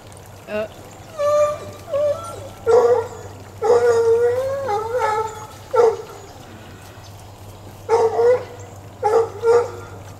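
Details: Great Pyrenees rescue puppies playing while fostered at Plott Hollow Farm, Wesley Chapel, Florida: a run of high, wavering whines and short yelps in bursts, some stretched and bending in pitch, over a steady low hum.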